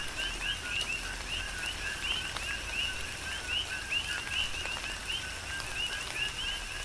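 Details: Coqui frogs calling in a tropical rain shower on the Big Island of Hawaii: a dense chorus of short two-part notes, a low tone followed by a higher upswept chirp, repeated rapidly by many frogs over steady rain patter and scattered drips.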